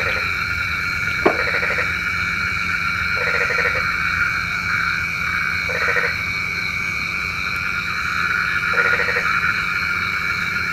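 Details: Frogs calling for rain at night, in a recording from Indonesia. Short grating croaks come in bursts every few seconds over a steady, layered chorus of ringing trills. There is a sharp click near the start.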